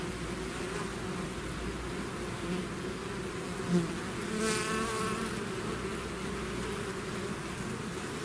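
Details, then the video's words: Bees swarm from their hive in a steady low drone; midway a single bee zooms close with a brief rising, shimmering buzz before the dense hum settles again. "bees therapy swarm natural buzzing sound"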